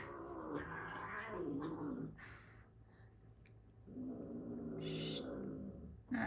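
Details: Household cats in rough, frisky play; a low, sustained growl-yowl rises and falls over several seconds, then swells again, while an owner murmurs and hushes them.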